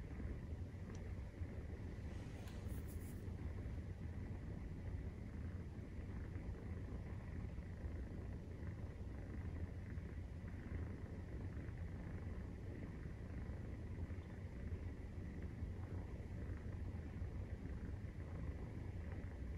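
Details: Long, even purr of a Maine Coon cat during nursing of 43-day-old kittens: a deep continuous rumble with a fine rapid pulse, and a brief rustle near the start.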